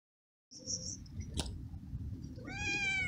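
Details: A hungry young male stray cat living alone in a large garden cries for food: after a stretch of low background rumble and a sharp knock, one loud harmonic meow rises and falls near the end.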